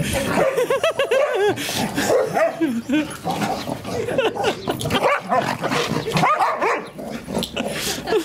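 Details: Female English Springer Spaniel at home, vocalizing while trying to get her son and daughter to play with her: a run of wavering, arching whines and yelps with rising-falling pitch, over people laughing and talking.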